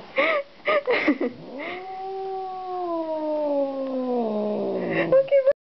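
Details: Angry pet cat Calico, upset around strangers: a few short hisses and human words, then one long, steady, low yowl lasting about three seconds that slowly sinks in pitch before ending in short higher cries.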